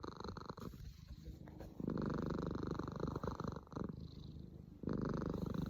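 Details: Pet cat named Cemi snoring indoors; low rumbling breaths in rough pulses, quieter through the first second and a half, then louder stretches broken by a short pause near four seconds.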